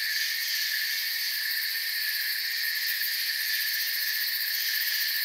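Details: Forest crickets chirping together as one unbroken, high-pitched layered drone, very steady and constant in level, with nothing else clearly standing out.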